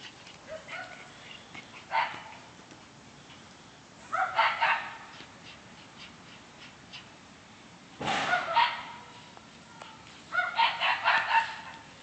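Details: Two cream Shiba Inus playing, phone recording: four loud bursts of rough, growly yips and whiny barks, each lasting about a second, spaced roughly every two to four seconds, with quieter shuffling noise between them.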